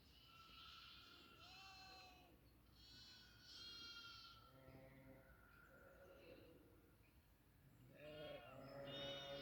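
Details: Several goats on a farm bleat repeatedly in nasal, trembling cries of varied pitch, overlapping throughout and swelling louder toward the end.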